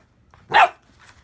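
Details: Great Pyrenees puppies playing, pretending to kill a sheepskin indoors; a single short, harsh bark bursts out mid-clip, with a person talking softly just before and after.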